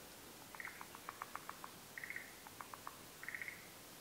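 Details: Forest green tree frog, endemic to Japan, at a daytime spawning during the rainy season; short rattling trills of quick clicks alternate with brief buzzy pulse bursts, repeated in three groups over hissing background noise.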